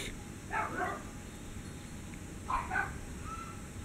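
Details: Sunny the dog barking after finding a cat: two quick paired barks, then another pair about two seconds later, somewhat distant against constant background hiss and low noise.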